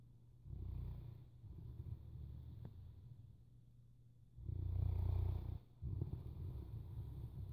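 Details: Deep snores from a sleeping Boerboel, a rumbling breath early on, a quieter stretch, then a loud heavy snore followed by a shorter rasping one, steady low hum in the background.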